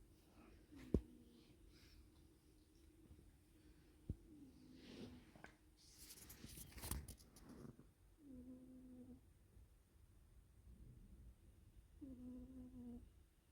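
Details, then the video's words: Cat snoring in its sleep, a low droning tone with a nasal whistle-like buzz on each breath, recurring about every four seconds, with a rustling burst of handling noise midway in a small indoor room. "cat snoring"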